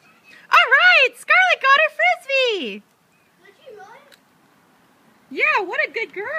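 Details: Border Collie named Scarlett, frustrated after her frisbee landed in an unreachable spot, gives high-pitched whines and yelps in quick bursts, some swooping and falling in pitch, then a pause with faint sounds before another run of whines.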